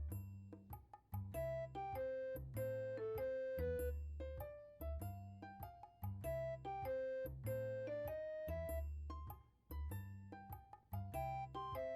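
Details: Gentle electric piano melody with repeated phrases and soft chords plays on its own, and no animal sound is heard.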